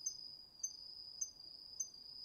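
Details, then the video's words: Autumn insects, crickets among them, singing at night in a home garden vegetable plot in a calm residential area of northeastern Tokyo, recorded on a DR-40X; a steady high continuous trill with brief accented pulses about every half second. "秋の虫の声 ASMRでおやすみなさい 〜虫の音を枕元で聞いてね〜 こおろぎ他"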